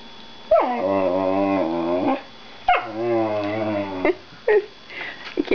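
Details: Black female whippet under foster care makes her deep 'talking' sound: two long, steady, groaning drawls of about one and a half seconds each, rising at the start, followed by brief higher yips; a woman's voice is faintly present.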